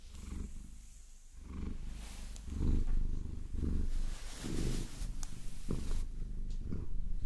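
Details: Maine Coon cat named Vasilisa, a favorite pet, purring while being caressed and massaged with long nails; a low rumbling purr swells in pulses roughly once a second, mixed with crisp scratching and tapping of nails.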